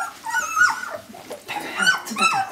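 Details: Jämthund puppies at a kennel in 2012, giving high whining yelps that slide up and down, in two short bursts.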